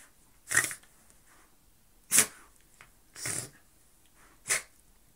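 A Bull Terrier gives four short, breathy snorts, each a quick burst of hissing air, at uneven intervals.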